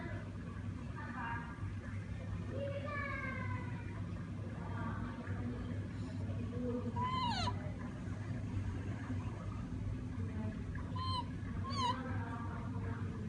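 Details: A siamang in Sumatra gives rising, harmonic whooping calls in short bursts over a steady low rumble.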